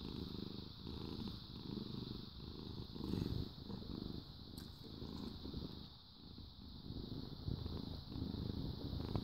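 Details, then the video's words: Contented cat purrs continuously, a deep pulsing rumble rising and falling in even breath cycles about once a second, softening briefly midway, while a faint steady hiss sits beneath. "Happy Cat purrs Cats Purring"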